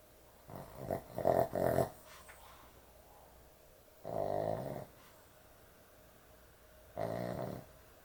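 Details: A sleeping dog snoring heavily at bedtime: rough, rasping snores with a quick cluster of short snorts, then two longer drawn-out snores about three seconds apart, with a quiet room hiss between them.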